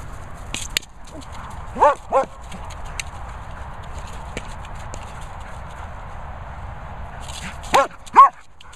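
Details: German Shepherd playing with a boomer ball, giving two pairs of short, sharp, rising barks near the start and end, with long quiet stretches between them and faint background noise.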